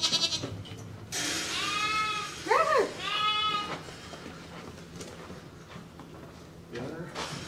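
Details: As Angora goats are held for shearing, a long, wavering bleat swells over about two seconds with a sharp upward-bending cry in the middle, followed by quieter scuffling and voices.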